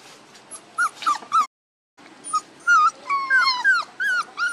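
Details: One-month-old puppies, aged one month and two days, giving high, thin whining whimpers that bend up and down, in short bursts with a brief silent gap near the start, then several overlapping whines from more than one pup.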